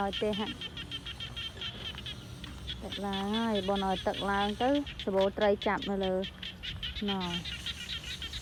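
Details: Frogs in the rainy season give nasal, droning calls in quick bursts, several voices overlapping and answering each other.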